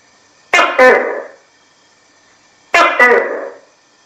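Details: Tokay gecko (Gekko gecko), call.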